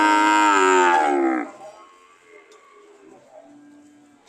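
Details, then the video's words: Cows ready to leave, one letting out a loud moo of about a second and a half that drops in pitch at the end, followed by near silence with faint background murmur. "The sound of Cows ready to leave"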